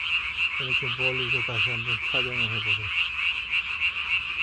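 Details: Croaking at night in May 2020, a Japanese tree frog blows its throat sac up as large as its body, giving rapid harsh pulses about three per second, overlaid by a low, harmonic, voice-like sound.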